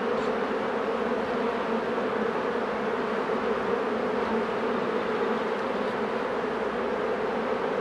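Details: Steady, unbroken drone of many honey bees at open hives while a beekeeper works, a constant low hum with no other clear sounds.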